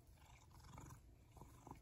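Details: Zakio, an affectionate tuxedo cat, purrs while nuzzling and rubbing up for attention; a soft, low, steady rumbling purr, faint and continuous, with light rustling over it.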